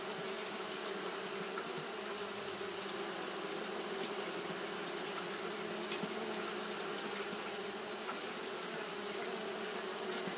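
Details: Buzzing of Japanese honey bees fanning without pause on a hot day: an unbroken, even drone with stacked low tones under a constant bright hiss, steady in loudness throughout.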